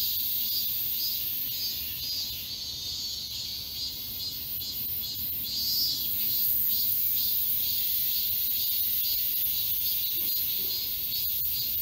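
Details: High-summer cicadas fill the woods of Galsan Park, Seoul, with song. An unbroken, piercing buzz throbs in quick, even beats, growing a little louder halfway through, and little else is heard.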